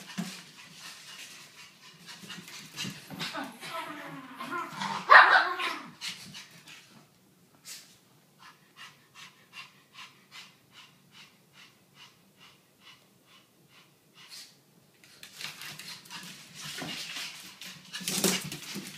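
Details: Brussels Griffons Gatsby and Bogart at playtime, energetic Bogart rousing the others: rapid, even panting puffs repeated about twice a second mid-recording, with scuffling play noises, brief yips and human speech around it.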